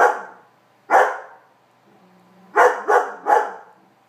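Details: Meego, a house Weimaraner, barks at a cat occupying his bed, trying unsuccessfully to make it leave; single barks, then a rapid run of three, with a faint low whine between them.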